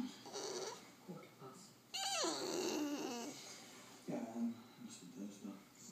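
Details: Bulldog indoors making odd vocal noises: soft snuffling grunts, then a drawn-out wavering whine sliding downward, followed by further low grumbling sounds in a quiet small room.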